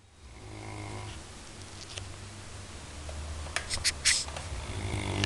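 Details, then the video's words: Labrador Retriever snoring indoors, a low, steady rumbling drone that swells and fades, with a cluster of sharp clicks and taps partway through and a rising hiss toward the end. "Labrador roncando"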